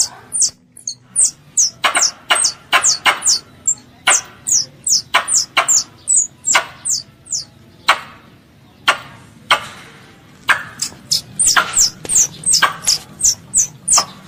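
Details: Squirrel, a crop pest, calling its mother with rapid bursts of shrill descending chirps and sharp clicks, a short lull near the middle, then a dense flurry again, light low background noise throughout.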